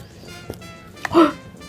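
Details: A Dachshund gives a brief, tonal, whining 'talking' sound that swells and fades over music, in a back-and-forth "conversation" with its owner about a rawhide chew treat, with another dog present.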